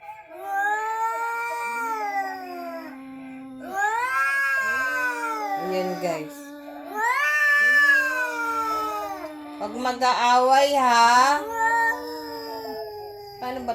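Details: Visiting cat producing a strange sound in a Halloween-time recording: a series of four long, moaning wails, each held a couple of seconds, rising then sagging in pitch, with a harsher, strained burst near the end.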